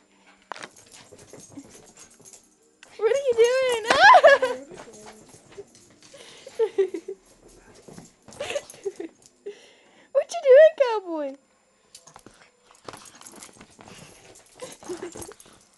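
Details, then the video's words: Chihuahua named Kelby indoors, apparently playing and trying to bite something, gives high whining yelps with falling pitch sweeps in two bursts, around four and eleven seconds, amid a woman's talk and light household noise. "Insane lil Chihuahua"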